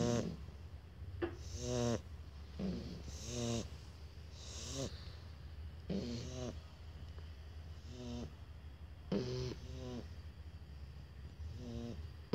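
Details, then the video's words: Two Shar Pei puppies snoring together indoors: rhythmic rasping snores with a buzzy, ridged texture, each breath lasting under a second and repeating roughly every one and a half to two seconds, with soft hissing exhales between. "Shar Pei Puppy Duet"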